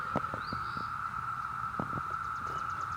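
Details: Brood V cicada chorus in Ohio, June 2016: a steady, unbroken mid-pitched drone from many insects fills the recording, with several sharp handling clicks and a faint high chirp from a bird.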